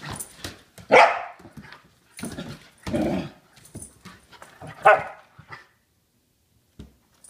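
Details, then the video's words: Hyper Saint Bernard puppy playing, giving scattered barks and gruff, lower huffing growls at irregular intervals, with rustling and scuffling between the louder calls and quiet gaps. "Hyper Saint Bernard Puppy"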